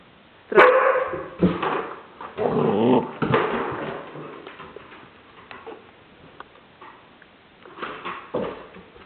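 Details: A 15-month-old Border Collie playing at home barks when told to speak. One sharp, loud bark is followed by rougher barking bursts, then quieter sounds. A person gives commands in Polish.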